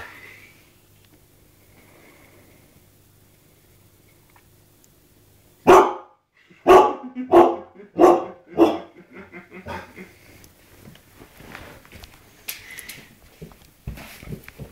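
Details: Siberian Huskies, pet dogs indoors, barking at a TV shot of Ewan McGregor: a quiet start, then a run of six loud, sharp barks about every half second, trailing into softer, irregular barks and whines.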